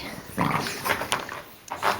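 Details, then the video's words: A litter of puppies at play makes a few short grunting squeals in quick bursts, each under half a second, separated by brief pauses. "Puppies Playing"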